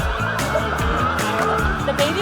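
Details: Humpback whale song, picked up by a hydrophone from a boat off Maui, Hawaii, among hundreds of whales in the winter breeding season: drawn-out tonal moans and gliding whistles over a steady low engine-like hum.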